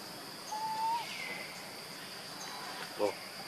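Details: Baby monkey missing its mother gives a thin, whistled cry that holds level then rises slightly, followed later by a brief sharp squeal, over a steady hiss of background noise.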